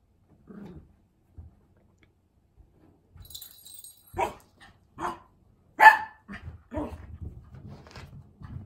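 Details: A Cavalier King Charles Spaniel gives a few sharp, spaced barks, urging an older American Shorthair cat to play.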